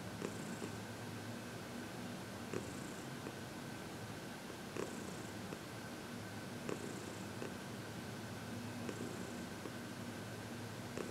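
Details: Continuous contented purring from Heidi, a 14-year-old cat adopted from the Humane Society of New York City, during a massage and reiki session on February 22, 2021; even low rumble with faint rhythmic breaths recurring about every two seconds.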